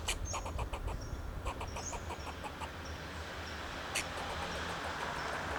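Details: Fox squirrel alarm calls from a Monterey pine, Del Monte Forest, California, made in defense of itself and its territory: a brisk run of dry chucks early on, then a single sharp bark, over soft bird whistles and low traffic noise.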